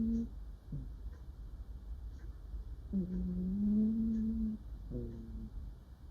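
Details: Female cat asleep and dreaming, murmuring softly indoors: a short hum and brief chirp, then a drawn-out hum that rises slightly and holds, and a final falling chirp.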